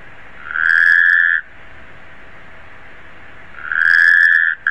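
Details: Two level, buzzing trills from a Taipei tree frog, each close to a second long and spaced about three seconds apart, with quiet hum between them.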